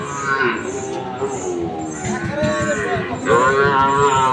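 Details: Sahiwal bull calves at the Ambari cattle market, Dinajpur, on 6 November 2023: a few muffled lows, then a loud drawn-out moo near the end, with faint regular hissing bursts and market murmur.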